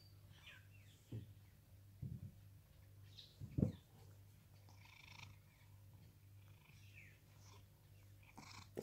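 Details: Sam, a rescued pet cat living in Cooktown, Queensland, Australia, purrs steadily while having its fur groomed. A low, even rumble runs throughout, broken by a few soft knocks and brushing noises.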